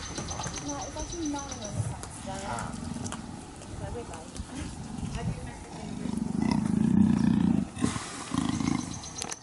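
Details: Female black leopard at Cheetah Experience, in heat and calling males while pacing; human talking dominates early, then a strong run of deep rasping roar pulses builds in the second half.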